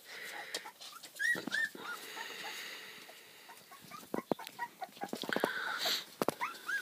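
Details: Litter of five three-week-old Pembroke Welsh Corgi puppies, eyes newly open, learning to play and growl; high squeaky whimpers and short yips come in irregular bursts, with rustling and thumps of movement.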